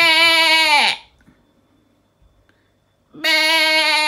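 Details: A sheep gives a 'beh' bleat, voiced when hungry, seeking its lamb or showing off. A quavering bleat fades with a falling tail, and after two seconds of quiet a second steady, nasal bleat begins.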